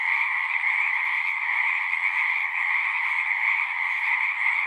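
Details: Dense frog chorus from a pond in a horse pasture: countless overlapping trills merging into a constant buzzing drone of even loudness.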